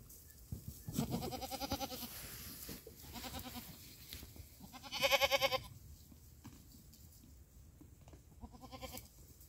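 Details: Goats on 27 December 2023 giving quavering, harmonic bleats. Several come in the first seconds, then a loud strained bleat midway and a short one near the end. Faint bell tinkling and rustling fill the gaps.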